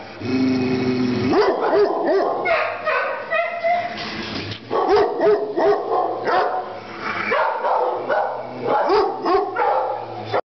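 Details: Pit bull terrier up for adoption at a shelter, March 2012; a dense run of sharp barks and yelps, roughly three per second and unevenly spaced, overlapping with many other barking dogs in a noisy kennel.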